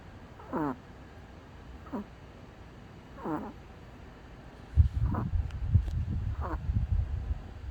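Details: A dog asleep and snoring, with thin descending whistles on each breath, then a louder, rough low rumble of snorting breaths taking over in the second half.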